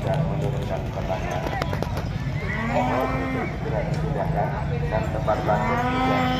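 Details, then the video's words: Angry cattle at a 2023 livestock contest in Kedayunan, Kabat, Banyuwangi: two drawn-out, low, harmonic moos, the second rising slightly at the end, over steady crowd chatter and event noise. "SAPI NGAMUK"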